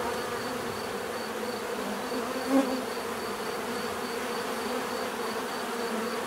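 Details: Bees buzzing in a steady, continuous low drone with bands around 250 and 500, a faint repeating high tone near 4k, and one brief louder buzz passing close midway.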